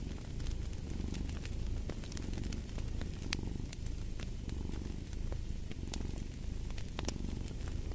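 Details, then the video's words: Purring cat near a fire: a soft, low vibrating drone rising and falling with each breath, interrupted by bright crackles and snaps from the fireplace. "Fall asleep to the Purring of a Cat"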